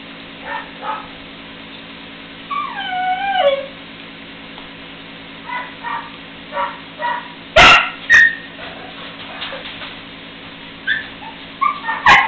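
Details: Three-week-old puppies playing together for the first time, letting out scattered short yips and high wavering whimpers, including a drawn-out falling whine, with a few sharp clicks or knocks over a steady low electrical hum.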